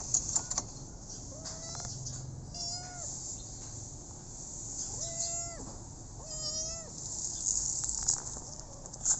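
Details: A rescued street kitten calls with four drawn-out, slightly wavering meows spaced a couple of seconds apart over a steady high hiss and low background hum.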